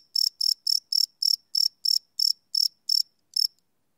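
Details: Chirping crickets at night, recorded live on a Sony PCM D100: eleven sharp, high chirps in quick succession, the last few spaced slightly wider before the sequence trails off into silence.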